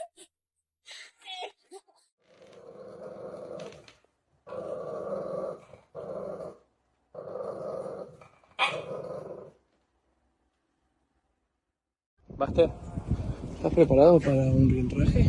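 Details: Dog growling indoors in a series of four or five sustained low rumbling bursts, each lasting one to two seconds with short pauses between, followed by a brief sharp sound and then loud human voices and noise at the end.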